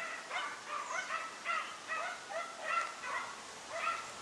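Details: Deutscher Jagdterrier Dunja facing a wild boar during hunting, giving short, high, tonal yips in an irregular string, close together at first and then spaced out, against a faint background hiss.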